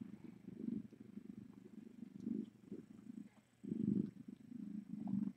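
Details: Cat purring in a rescue's live-streamed kitten room during a late-night visit; a low, rumbling purr swelling and fading in bursts about every second, over a faint steady hum.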